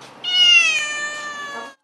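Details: Trapped domestic cat on a 12th-floor apartment ledge in China as rescuers try to coax it to safety: one long, loud, clear meow, steady then slowly falling in pitch, rich in harmonics, fading at the end.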